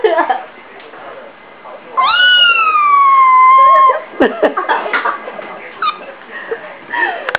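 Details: A domestic cat lets out one long, steady meow lasting about two seconds, prompting a dog's ears to move, followed by clattering, shuffling handling noises and a faint brief mew.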